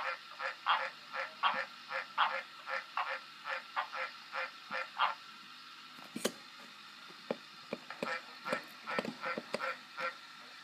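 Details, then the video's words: Rapid, evenly paced honking croaks from a green tree frog, about two a second, break off midway after a sharp crack; scattered clicks follow before the nasal croaking resumes, less regular, at the end. "Green tree frog croacking"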